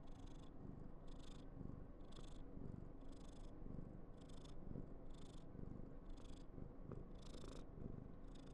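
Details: A female Somali cat, very affectionate, purrs loudly and continuously; a low rumble with regular breathy pulses near once a second throughout.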